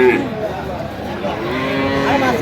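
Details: Friesian or cross-breed bull calves on sale at Aftabganj cattle market, Dinajpur, on 12/11/25: a short harmonic moo opens, then a longer, steady, low lowing over the murmur of traders talking.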